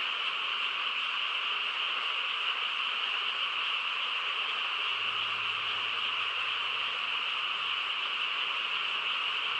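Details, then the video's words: On a still night in the countryside, frogs sing in a chorus of steady, high, overlapping trills that blur into one continuous sound, and a faint low hum comes in briefly midway. "고요한 시골 밤에 개구리 합창 소리"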